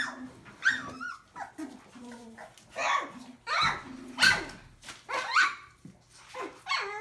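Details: Collie puppies, a litter including Morgan, Mackinley, Arya and Ava, giving short high yips, squeaky barks and whimpers in irregular bursts, some rising and falling, with brief low growly notes and a faint human voice between calls.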